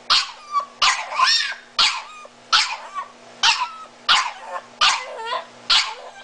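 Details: Blind, disabled miniature Italian Greyhound calling for its owner in a steady series of eight harsh yowling bursts, roughly one every second, each warbling up and down like a strained attempt at words.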